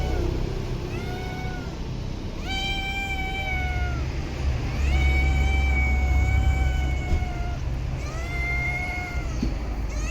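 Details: Stray cats in parks and streets: a run of about five drawn-out, tonal meows, some level and some gently rising then falling, spaced roughly every two seconds over a steady low traffic-like rumble.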